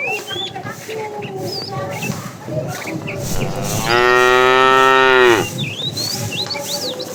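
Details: A tame cow from a herd roaming the road looking for food gives one long, loud, steady moo of about a second and a half, rich and harmonic, amid frequent high chirping birdsong before and after.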